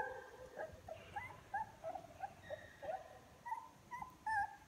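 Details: ['Several young puppies, eyes starting to open and beginning to walk toward their mother, recorded on 24 February 2022: thin, high whimpering yelps rising and falling, repeated in quick uneven bursts, growing louder as the pups grow.']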